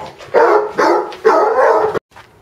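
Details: Basset Hound barking indoors during a play battle with another dog: three loud, harsh, mid-pitched barks in quick succession, then sudden quiet.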